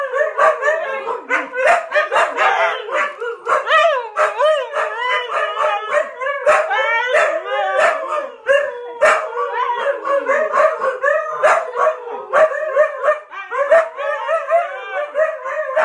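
Several huskies howl together in overlapping, wavering cries that rise and fall, broken by yips.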